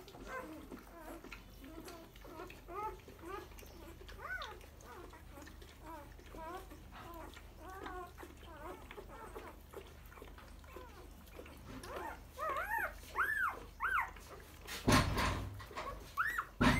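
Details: Boerboel puppies in a small indoor room, giving a steady stream of short, high, arching squeaks and whines with rich overtones, several overlapping, growing louder near the end, with brief thumping handling noises.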